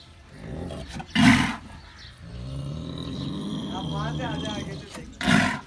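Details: Bull in Karachi's Bhains Colony cattle colony, described as somewhat aggressive, gives two loud, rough bellowing bursts about four seconds apart, with men speaking in between.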